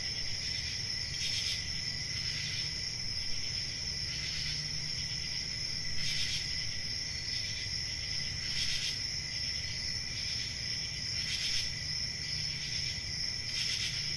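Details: Crickets keep up a steady piercing trill, broken by regular louder pulses roughly every two to three seconds, with a low droning background.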